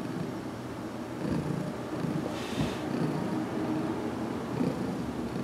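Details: Heidi, a domestic cat recently taken in and still getting used to handling, purring during a head massage in a closet, June 2019; a steady low rumbling purr with faint rustling and a brief hiss of noise midway.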